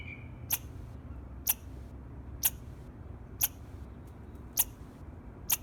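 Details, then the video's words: A squirrel chirps in the morning, giving sharp, high chirps spaced about a second apart over a low steady hum. "Squirrel Chirping Sound in the Morning"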